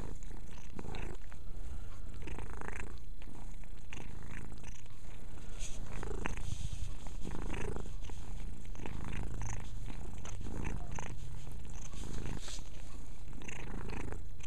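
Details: Continuous low purring from Mia, a house cat, during self-cleaning, with intermittent licking clicks and rustles and a faint voice in the background.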